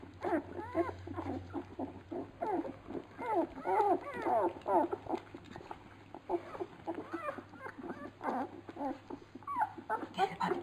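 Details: Several Labrador Retriever puppies whining at feeding: continuous overlapping squeaks and short yelping whimpers, busy and irregular, over a steady low hum.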